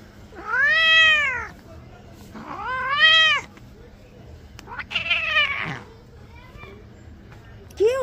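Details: Domestic cat being bathed, giving loud arched meows with rich harmonics, two long cries in the first four seconds, a shorter one near five seconds and another starting at the end, with a woman talking softly in Bengali between them.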